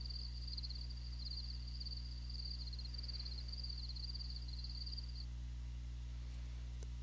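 A cricket chirps in a steady, high pulsing trill for about five seconds over a low hum.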